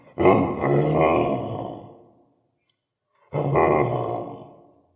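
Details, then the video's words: Angry orangutan at a zoo giving two loud, rough, roaring grunts, each lasting about two seconds and fading out, separated by a short silence. "Angry ORangutan"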